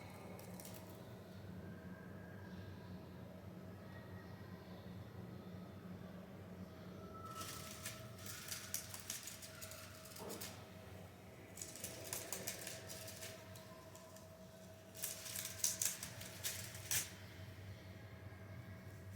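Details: A pet rabbit indoors crunches homemade dry hay in short, crisp bursts of chewing over a steady low indoor hum.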